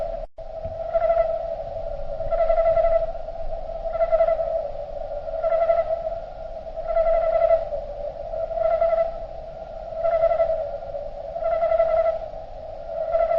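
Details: Crickets recorded in nature and slowed down, becoming a low, steady humming tone with brighter pulsing swells that rise and fade about every one and a half seconds, about nine swells in all, with no other clear sounds.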